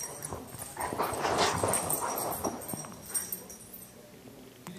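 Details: Two terriers, an Airedale and a Welsh terrier, wrestling playfully without getting serious; rough, low growly bursts swelling and fading over a few seconds amid scuffling and shuffling noise.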